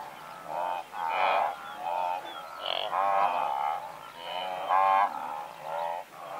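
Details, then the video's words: Blue wildebeest, a herd of several hundred, calling at medium close range: overlapping nasal, honking grunts with rich harmonics, bursts roughly every second, rising and falling in loudness as many animals call together. "Blue Wildebeest / MCU Calls From A Herd Of Several Hundred"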